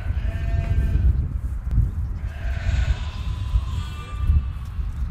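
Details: Goats in a meadow, recorded while a TV programme was being filmed: a drawn-out, wavering bleat with a rich harmonic tone rises over heavy low wind rumble and handling noise.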